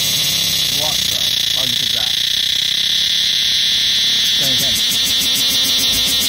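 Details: Loud insect making a steady, high, shrill drone that runs unbroken through the whole recording, with people talking and scattered low voices underneath.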